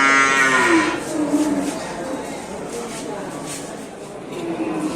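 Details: Cattle at the Sibreh livestock market in Aceh Besar, Indonesia, with one loud, drawn-out harmonic moo in the first second, then fainter low lowing and background market noise.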